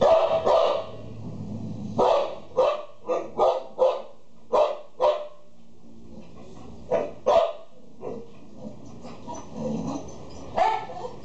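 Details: Female Boxer dog barking in a series of short, sharp barks in irregular bursts, with pauses between groups and some low background noise.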